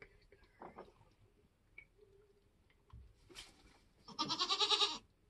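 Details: Nigerian Dwarf goat kidding on a homestead: faint rustling and scattered soft sounds, then one loud, quavering, pulsing bleat near the end lasting under a second.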